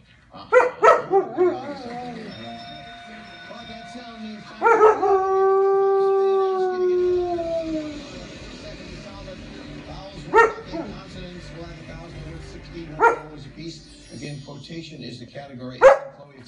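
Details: German Shepherd dog howling indoors at a television game show: a few sharp yips, then a long smooth howl gliding downward, followed by scattered short barks and TV speech in the background.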